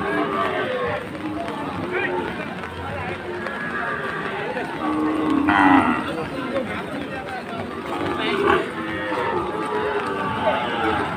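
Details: Sahiwal bull cattle at a rainy Chittagong, Bangladesh livestock scene on the second day of Eid: a harmonic lowing moo swells midway, amid steady crowd chatter, rain and background music.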